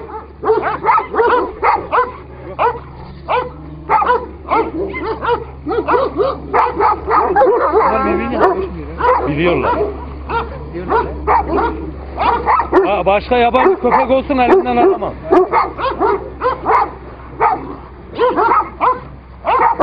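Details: Two Kangal dogs in a fight: bursts of rough barking and yelping snarls come in rapid clusters, brief pauses between flurries, with a steady low hum and men talking in Turkish underneath.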